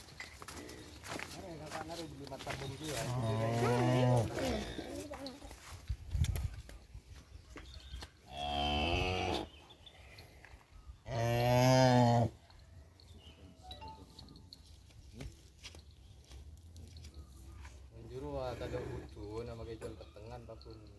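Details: Penned cattle kept as breeding stock for kerapan sapi bull racing on Sapudi Island. Several deep, harmonic moos of one to two seconds each swell and fade, separated by clattering knocks and quiet gaps.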